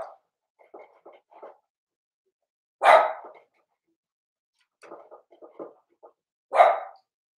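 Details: Four-week-old Cavalier King Charles Spaniel puppies from Daisy's litter, in an indoor puppy pen: two loud, sharp yelping barks about four seconds apart, with short clusters of soft, squeaky yips between them.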